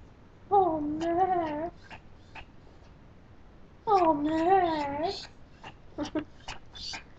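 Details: Max, a Pomeranian, cries for his owner's rice each time his name is called, two long wavering nasal whines with rising and falling harmonics, each over a second long, separated by a pause and followed by short clicks and scraping.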